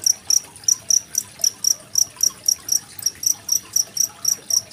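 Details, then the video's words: Cricket sound paired with gently trickling water, used as training material for competition songbirds such as magpie robins; loud piercing chirps about three per second, each a short buzzy burst, steadily repeated. "Suara masteran jangkrik dan gemericik air"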